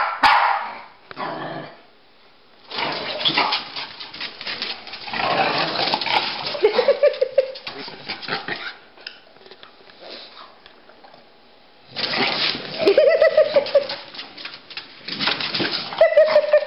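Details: Playful chase between a Pekingese and a Bulldog named Rocky and Bully; brief high yelping barks at long intervals among bursts of scuffling, paw clatter and heavy breathing, with quiet gaps between.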